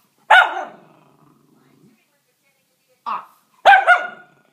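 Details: A Miniature Schnauzer throws a fit over food after being refused chicken, barking in sharp, frustrated bursts of protest.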